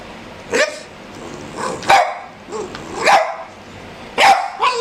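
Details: A one-year-old Boston terrier and an 11-week-old black pug puppy play on a dog couch; high, sharp yapping barks sound about once a second, some with rising whine-like tails.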